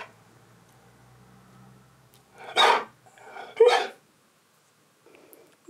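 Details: Husky named Keyush (Key) at home, awaiting a visit from canine friend Sherpa for a waffle celebration: two loud, sharp barks about a second apart after a quiet stretch, then a faint short noise near the end.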